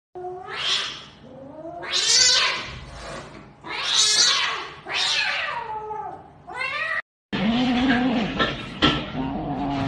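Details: Pet cat in a funny cat-and-dog compilation, giving a run of about five loud, strained yowls, each roughly a second long and swelling then falling. An abrupt cut follows, leading into a lower, steadier moaning tone with scattered noise.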